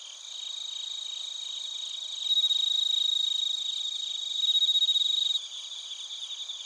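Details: Crickets, including bell crickets, singing in Narita, Chiba Prefecture, Japan, recorded on a TASCAM Portacapture X8. One nearby caller's loud, fast pulsed trill rises above the shrill background chorus from about two to five seconds, then drops back.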